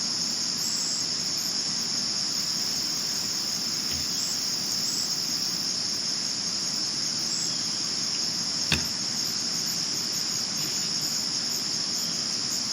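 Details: Crickets chirping at night, recorded in 2022: a steady high-pitched trilling band runs unbroken through the whole recording, with a single sharp click near the end and no other clear sounds.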